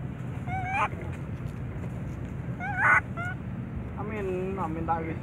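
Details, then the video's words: Baby monkey crying loudly, a series of short tonal wails with rising and wavering pitch, one burst after another every second or two, over a steady low hum of background noise. "Little Baby Monkey,Crying Loudly"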